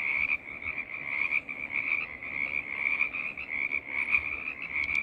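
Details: Many frogs croaking together as a choir, their calls merging into an unbroken high rattling drone that throbs gently without any pause.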